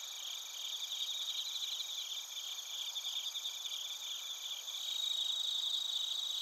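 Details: Chorus of bell crickets and other crickets at Narita, Chiba Prefecture, Japan, TASCAM Portacapture X8 recording; thin high trills throb rapidly and continuously, growing louder near the end as one nearer ringing voice comes forward.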